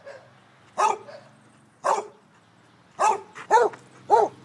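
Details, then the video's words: A Basset Hound in pursuit of birds gives five hoarse, baying barks, spaced about a second apart at first, then coming faster near the end. "Basset chasing"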